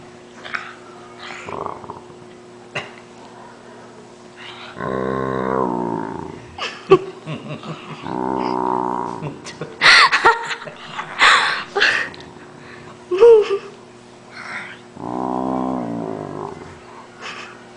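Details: Great Dane groaning while his owner's brother pretends to bite his paw, said to sound like a water buffalo: drawn-out, low, harmonic moans in three bursts, with laughter, speech and some music around them.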